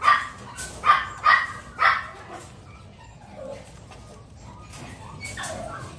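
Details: Miniature Pinscher puppy just learning to eat, in An Giang, Vietnam: four sharp high yaps in the first two seconds, then quiet soft whimpering sounds.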